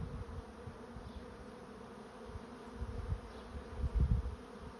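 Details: A honey bee swarm moving into a swarm trap makes a steady, low droning hum with a dull rumble that swells near the end.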